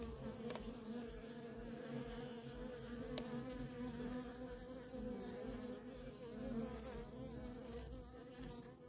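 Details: Feral colony of honey bees with worker bees in constant flight traffic, producing a thick, unbroken droning buzz that rises and falls gently, with a couple of faint clicks.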